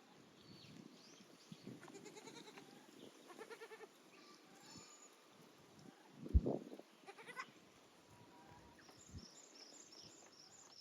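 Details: Goats at Yoshigake goat farm, a handmade farm, on 9 May 2024 with their new playground of an aerial walkway, balance beam and narrow slope; a few nasal, harmonic bleats near the start, a louder thump midway, and faint high chirps toward the end.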